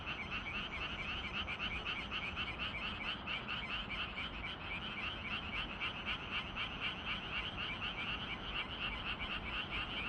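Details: Evening chorus of frogs in Gyeongju, Korea, on 25 June: loud, fast pulsed croaks from many callers overlapping, about four notes a second in a steady, unbroken rattle.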